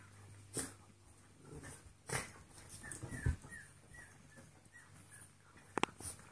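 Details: Two dogs playing indoors, a 14-week-old golden retriever mix puppy and a 2.5-year-old jack russell/rat terrier mix; soft, high whimpers come in a short series, with thumps and rustling from the play.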